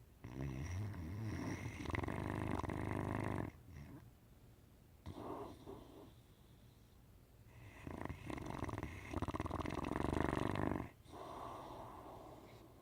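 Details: A 10-month-old Great Dane puppy snores in deep, rumbling breaths with brief quiet pauses between them.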